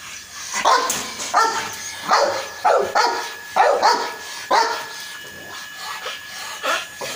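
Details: Dog barking, from a recording of a Rottweiler and a French Mastiff: about nine loud, hoarse barks come in an uneven series every half second to second, some with a rising, whiny edge, over a quiet background.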